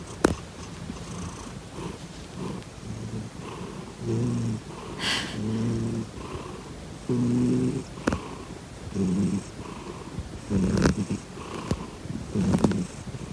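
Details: Pet cat Grizzly purring while kicking: softer rumbling pulses at first, growing louder and more regular, roughly every one and a half seconds, with several sharp clicks and brief rustles scattered between breaths.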